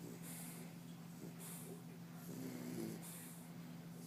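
An English Bulldog snores steadily, each rough, hissing breath returning roughly every second and a half. A low, steady hum runs underneath throughout.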